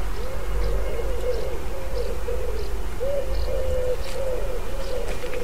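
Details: Bees and other pollinators foraging in lime trees along the River Tyne walk near St Mary's Church, Haddington, East Lothian, Scotland, on 28 July 2016; a wavering mid-pitched hum swells and dips as insects pass, with faint high chirps and low rumble.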